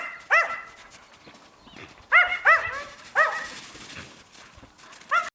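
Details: Yakutian Laika puppies letting out sharp, high, rising-falling yelps spaced by short quiet gaps, with faint rustling between.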